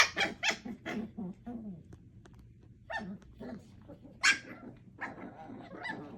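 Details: Eight-week-old puppies Thumper, Coco, Aurora and Elvira playing together: a quick run of high, squeaky yelps and yips in the opening second, then scattered softer whines and short barks over low background murmur.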